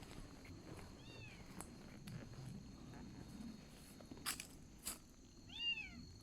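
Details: Crying of a kitten found abandoned along the road on a motorcycle tour: two thin, arching meows, one early and one near the end, with a couple of sharp knocks between and steady outdoor background noise.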